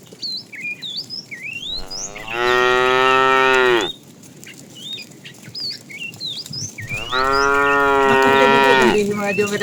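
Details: Tame herd cattle journeying toward fresh pasture: two long, even moos about five seconds apart, each roughly two seconds, rich in harmonics, with birds chirping and twittering between them.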